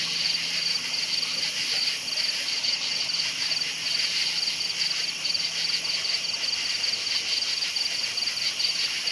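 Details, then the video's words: High pulsed cricket chirps at night come about twice a second, around twenty in steady succession. A dense, constant chorus of other crickets continues underneath. "Night Sounds Crickets Chirping"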